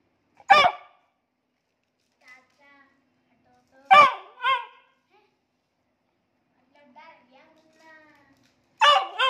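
A Beagle puppy gives sharp, high barks spaced a few seconds apart, with faint softer sounds between.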